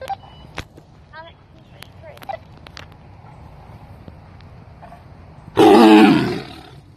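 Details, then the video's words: A female tiger with no tail, rescued to a sanctuary in Tampa, Florida, gives one short, loud, rasping roar in the morning after a stretch of near quiet. "Keisha Tiger ROAR Throwback!"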